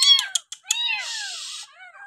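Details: Bottle-fed abandoned village kitten mewing: a few short broken cries followed by a longer rough, hoarse wail that fades into softer trailing notes.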